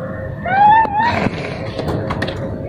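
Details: Restless orange cat in a cage gives a single drawn-out meow that rises slightly and lasts under a second, followed by low rumbling background noise and a few soft thumps.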